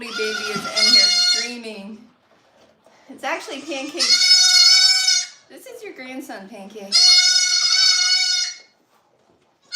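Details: Goat on a farm, heard in a live broadcast: three loud, drawn-out bleats of about one to one and a half seconds each, strongly nasal and wavering, with people talking in the gaps between calls.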